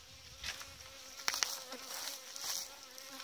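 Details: Honey bees at hives being packed for winter in the last intervention of the season: a thin, steady hum with a fainter lower tone runs throughout, under hissing and crackling handling noise with a few sharp clicks.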